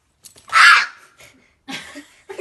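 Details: Angry cat meowing as though demanding its Zaku back: one loud, bright, harmonic meow lasting about half a second, followed by a softer, rougher call and faint rustling in a small room.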